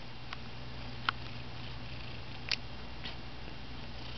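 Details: Mario, a pet cat who has lost his meow, indoors: a steady low rumble throughout, broken by two brief, faint, thin squeaks near one second and two and a half seconds.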